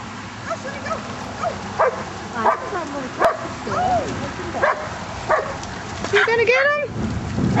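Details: Sheltie Whisper at play in a pond with border collies, giving scattered high yipping barks and whiny rising-falling calls, a burst of excited yelps near the end, mixed with human voices and splashing.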